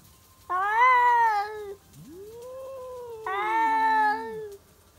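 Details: Two stray tabby cats, old rivals, meeting at midnight: long drawn, wavering yowls overlapping, one higher and harmonic-rich, the other lower and sliding up then down, about a second and a half each.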